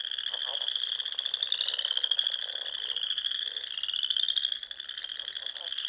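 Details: Frogs calling in spring from the Nebraska Sandhills, a sparsely populated dune country full of small ponds; a constant high, pulsing trill chorus with scattered low clicks, fading a little toward the last second.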